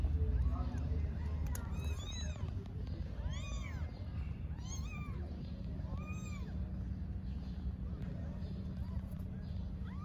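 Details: Homeless mother cat on an Istanbul street talking to her kittens. Between about two and seven seconds, a run of short arched, harmonic meows rises and falls, some close together. A steady low rumble and hum, like traffic, runs underneath.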